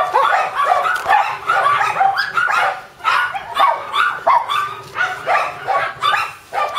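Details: A Shiba Inu puppy likely to stay mame-shiba small keeps up insistent squeaky yips and whines, bunched rapidly, then spaced into evenly paced bursts about every half second toward the end.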